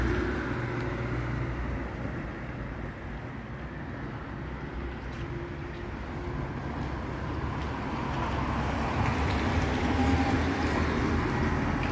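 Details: Steady roadway traffic rumble with passing vehicles and low engine hum throughout, no animal voice heard.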